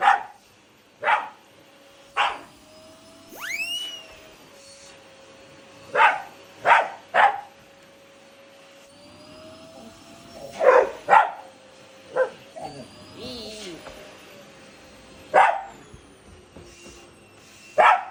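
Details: Shiba Inu and Labrador at home squaring off against a vacuum cleaner. Sharp single barks come every second or two over a steady machine whine, with a few squeaky, rising whines between them.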